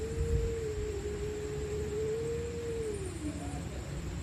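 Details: A stray cat screams during a night fight: one long, steady, low moaning tone held for about three seconds, then a sliding drop in pitch, with a brief faint higher note near the end and low hum underneath.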